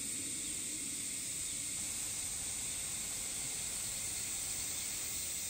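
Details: A higurashi cicada drones steadily from a distance near a forest with a mountain stream, on a summer evening in Japan: a high, hissing buzz that holds unbroken from start to finish.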